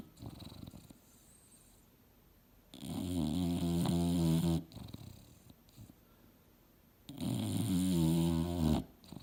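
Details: Mildred the English Bulldog asleep on a couch, dreaming hard: two long, loud, rasping snores, each about two seconds, separated by several seconds of quiet breathing and small snorts.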